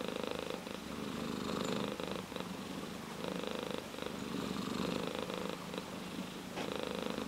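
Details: Ginger tabby cat purring steadily, a close, continuous rumbling purr that swells and softens in alternating phases with each breath, shifting roughly every second across the recording, with no other clear sounds.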